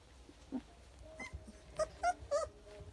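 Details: Young Rottweiler puppies, just learning to walk with eyes opening, give short, thin, squeaky whimpers in quick succession.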